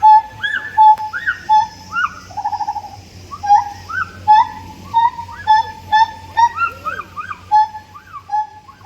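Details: Siamang in a lively calling bout: steady mid-pitched hoots alternate with higher arching whoops and a quick trilled run, notes coming more than once a second in a fairly loose rhythm.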